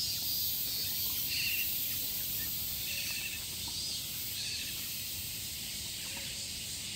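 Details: Japan's evening cicada: a short stretch of bright, hissing high-pitched chorus with wavering pulsed notes, over a low steady rumble.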